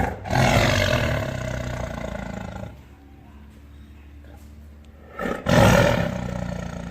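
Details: Roaring tiger: one loud, harsh roar fading over about two seconds, a quieter low rumble, then a second powerful roar bursting in near the end.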